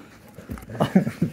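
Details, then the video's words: Pit Bull named Zeusy indoors, getting down low to show something under the couch while another dog, Percy, joins in; low grumbling, whine-like vocal bursts in short pulses near the end, over a woman's speech. "Talking Pitbull Clearly Says Words!"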